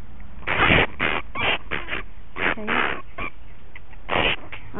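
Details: Punch, a bat injured by a dog in a suburban backyard, being handled after rescue from rose bushes; loud harsh screeching bursts with buzzy harmonics repeat about every half second, with a man's calm voice between them.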